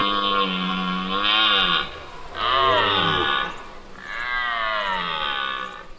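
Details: In autumn in Serbia during the rut, a dominant red deer stag asserts his position against rivals with three long, hoarse, rumbling roars in quick succession, each swelling then sagging in pitch, with brief pauses between.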